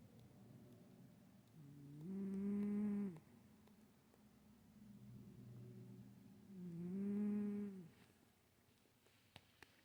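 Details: Stache, a pet cat, snoring again during sleep: two drawn-out, tonal, whistling snores with a steady low hum, about five seconds apart, and quiet breathing between them in a still room.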